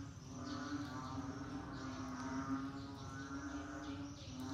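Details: Rainy-season frog chorus: a continuous humming drone overlaid with rapid pulsed croaks forming a thick, unbroken wall of sound.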